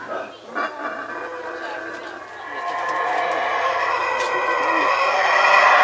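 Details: In Belize, howler monkeys roar in a deep, rasping chorus that swells steadily louder.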